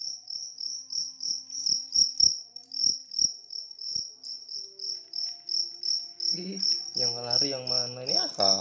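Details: Big cricket giving a continuous high pulsed chirp in rapid bursts, a few sharp taps early on, then a person's voice or singing in the last two seconds.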